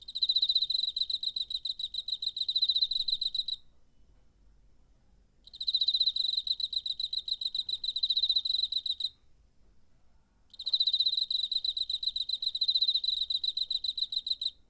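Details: September 2019 recording of a cricket on a portable recorder: three long trills of rapid, pulsing high chirps, each lasting about three to four seconds, broken by short quiet pauses.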